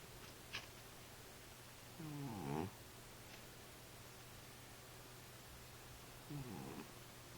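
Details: Sleeping domestic cat snoring: two short, low, harmonic rasping breaths about four seconds apart, each lasting under a second, over a steady low electrical hum in a quiet room.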